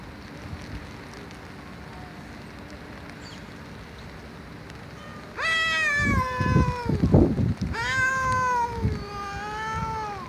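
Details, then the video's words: Cat meowing loudly after five seconds of low background hum: two long wavering meows with rich harmonics, accompanied by low thumping and rumbling noises. "Cats Meowing Loudly"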